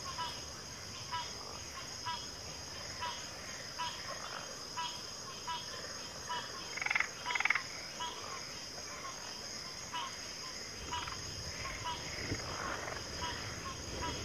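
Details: Frogs calling in a thinner chorus of irregular rattling croaks, two louder bursts near the seventh second, set against a continuous high insect-like whine.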